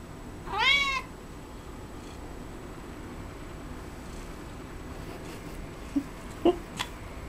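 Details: Domestic cat eating cat grass indoors gives a single clear, rising-then-falling meow near the start, followed by quiet room tone and a few soft clicks and taps.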